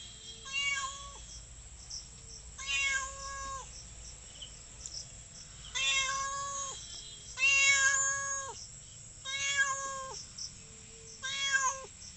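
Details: Village cat meowing repeatedly, about six loud, sustained meows spaced roughly every two seconds, each flat and harmonic-rich with a brief drop at the end; quiet background between calls.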